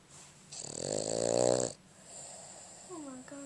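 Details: A Boston Terrier asleep gives one long, rasping, rattling snore, followed by a woman's voice; recorded February 11, 2011.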